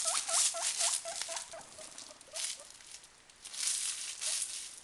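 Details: Two caged guinea pigs, one white and one brown, excited late at night by a sound, giving rapid repeated squeaky wheeks several per second, fading out midway, over loud crackling, rustling noise.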